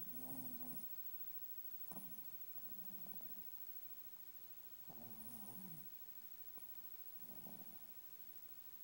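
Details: A pet Chihuahua snoring while asleep swaddled in a blanket in his bed indoors; soft rasping breaths come in bursts roughly every three seconds, each lasting under a second, with a faint airy hiss between them.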